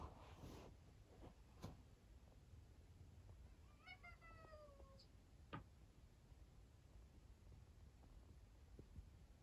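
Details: Sleepy rescued kitten meowing indoors: a single drawn-out, thin meow that slides downward in pitch, amid quiet room noise and a couple of soft taps.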